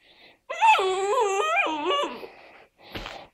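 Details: Four-month-old tricolour Basset Hound puppy indoors, just learning the breed's howl: a single wavering, tonal howl lasting about one and a half seconds, dipping and rising in pitch, with a person talking to the dog just before and after.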